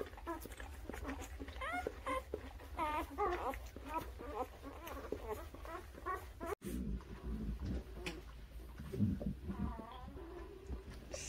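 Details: Newborn puppies, aged birth to three weeks, squeal in a quick run of short rising-and-falling cries for about six seconds; afterward come softer cries mixed with low human voices and handling noise.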